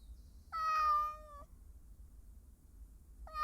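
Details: Talkative domestic cat during a recording session: one long, clear, tonal meow lasting about a second, holding steady then dipping slightly in pitch at the end, with a second meow starting just as the recording ends, over a faint low hum.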